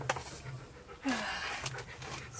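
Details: Husky K'eyush being groomed indoors after the heaviest shedding in nine years; rough, breathy panting bursts come in uneven puffs, with one short low whine-like tone midway and faint room sounds around it.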